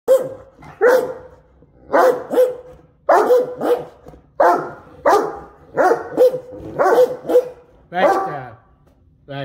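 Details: Two Great Danes trade deep, grumbling woofs and throaty barks back and forth, about one each second, as if conversing.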